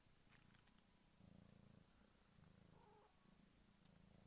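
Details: Kittens in a village, quietly purring: low, steady rumbling pulses that swell and fade over several seconds. Faint, muffled recording.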